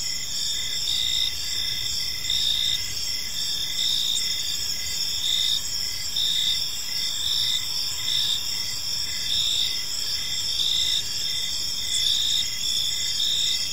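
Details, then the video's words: Chorus of crickets in a peaceful park as evening falls, dense high trilling tones running steadily with short rhythmic pulses throughout, faint distant low noise beneath. "Park Serenade: Cricket Sounds in a Peaceful Park"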